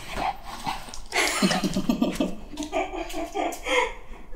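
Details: Black Shih Tzu named Jjanga, indoors in cold winter, being dressed in new clothes it refuses to wear; a quick run of short, harmonic yips in the middle, overlapped by a person talking and giving commands throughout.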